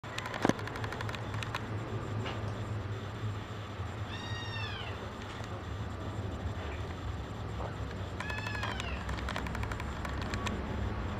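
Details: Female Maine Coon kitten, brown tabby and white, gives two thin, high, arching meows about four seconds apart, each rising then falling, over a steady low rumbling background hum.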